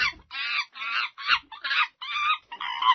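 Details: Monkey giving harsh, screechy calls in a fast series of seven short bursts over three seconds, roughly two each second, with nothing else audible between them.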